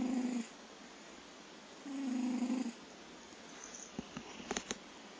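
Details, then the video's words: Kojiro the cat snoring: two low, drawn-out rasping breaths near the start, followed by a few faint clicks and taps in a quiet room. "コジロー いびき snore cat"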